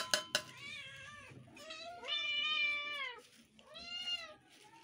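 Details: A family of domestic cats meowing; long drawn-out harmonic meows, one held for over a second and sliding down at the end, followed by a shorter one, after a couple of sharp clinks.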